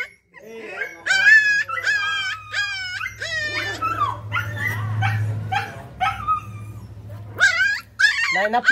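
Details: A pet puppy at home gives high, tremulous whines that rise and fall in quick succession, with a few shorter yelping notes. A steady low hum runs through the middle, and clearer cries return at the end.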